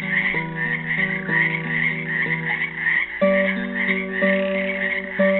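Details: On Earth Day 2016 in Helix, Oregon, frogs trapped in a pool keep up a bright, warbling trill chorus that swells and dips, with classical guitar chords plucked roughly every second beneath.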